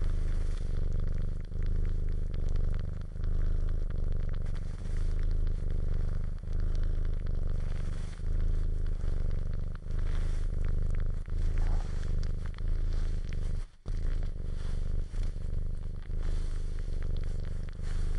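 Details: Purring domestic cat suckling, giving a continuous low throbbing rumble pulsing with its breathing, overlaid by soft scraping, crackling and wet suckling sounds; a brief break in the purr near the fourteen-second mark.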